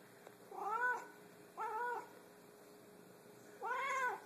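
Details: Kiah, a very vocal Savannah cat, gives three drawn-out meows, each rising then falling, about a second apart; finding: Savannah cat.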